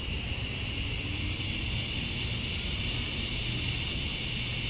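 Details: Steady insect drone of male cicadas calling for females at summer dusk in Georgia, USA: one thin, very high continuous tone over a softer mid-pitched hum, unchanging from start to end.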